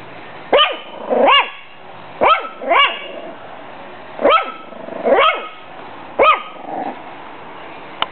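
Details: Bailey, a six-week-old female Pug/Jack Russell mix puppy, protects her food and water from a bag with a rapid run of about eight high-pitched, yappy barks, some in quick pairs, ending with a faint click.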